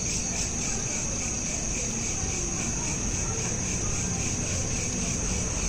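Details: Crickets at night, smartphone recording: a continuous high shimmering trill with gentle pulsing, over a constant low background murmur.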